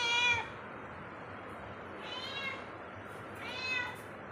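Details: Cat roaming indoors lets out one clear, loud meow followed by two softer, muffled arched meows spaced about a second and a half apart.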